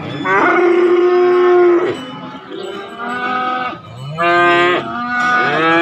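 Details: Three drawn-out lowing moos from market cattle, where calves and young bulls are penned together. Each moo holds a steady pitch for about one to one and a half seconds, with brief quiet gaps between them.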